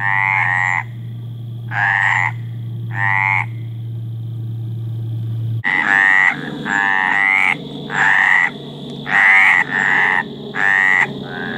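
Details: Mediterranean tree frog giving its breeding-season call: three spaced nasal croaks over a low steady hum, then a faster run of about seven loud rasping croaks, each roughly half a second, repeated every second or so.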